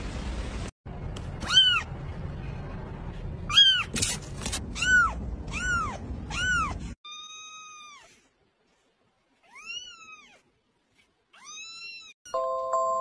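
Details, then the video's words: Kittens meowing over a low background rumble, a run of about six high arched meows with rich overtones, some overlapping, then a quieter stretch with a few softer, thinner mews and a short burst of steady tones at the end. "Cute little babies meowing sound"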